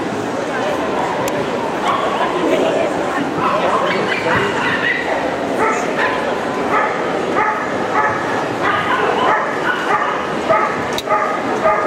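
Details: Young Boerboel, ten months old, barking protectively in a CACIB show ring in Kyiv, September 2016, its guarding instinct never trained; sharp barks come in quick runs amid loud voices and echoing indoor crowd noise.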